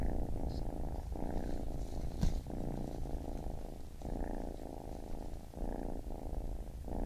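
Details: Baby kitten's purr rises and falls with its breathing, rumbling phases of about one second broken by short pauses, plus a single sharp tap just after two seconds.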